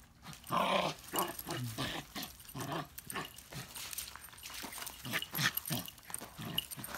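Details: Shiba Inu dog making short, rough, grumbling vocal bursts in quick succession across seven seconds, some rising and falling in pitch, with a faint high metallic jingling in the background.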